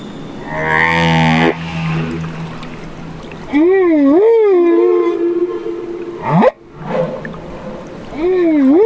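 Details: Baby humpback whale in Banderas Bay, Mexico, opens with a low, rough harmonic growl, then sings wavering rise-and-fall moans, a flat tonal note, one steep upsweep with a click, and another undulating moan.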